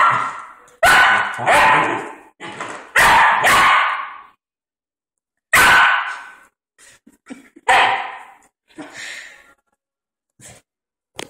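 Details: Puppy Anubis, 11.5 weeks old, amused by a door stopper, gives a quick run of five loud, high barks, then another after a pause, trailing off into soft yips and small taps.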